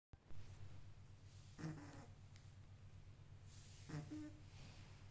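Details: Sleeping kitten snoring: a steady low rumbling pulse runs throughout, broken by two louder snuffling breaths about two seconds apart.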